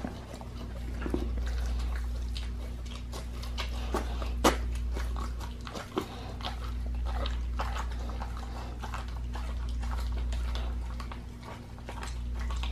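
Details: Raw-fed pit bull chewing a raw leg of lamb, with a dense run of crisp crunches and a few louder cracking bites against a low steady hum.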